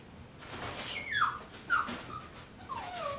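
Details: Mixed-breed puppy, shown toddling with wobbly steps, gives high thin whimpers: a whine sliding downward near one second, a short squeak, then a longer falling whine at the end, over a soft steady background hiss.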